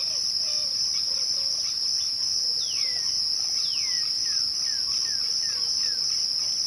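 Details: A high, unwavering trill of crickets at twilight fills the background. Two long downward-sliding whistles are followed by a quick series of shorter falling notes, with soft low warbles at the start.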